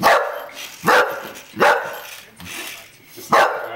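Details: English Bull Terrier attempting to attack a toy race car without success, giving sharp, hoarse barks in bursts roughly every 0.8 seconds, with a short pause before the last one, indoors.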